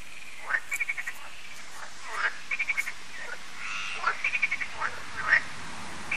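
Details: Evening frog concert at Lac de Sabatte, a lake in France: scattered croaking frogs giving quick rattling pulse trains and single harsh croaks, separated by quieter gaps, with faint background hiss.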